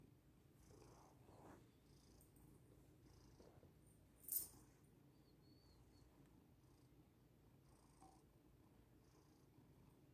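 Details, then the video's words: Steady low purring from Lily the house cat, chilling on her owner and kneading to get comfy, with one sharp click near the middle and faint rustles. "purr I need to soften this human mattress so I can be the most comfortable cat 🐈 ❤ in the world 🌎"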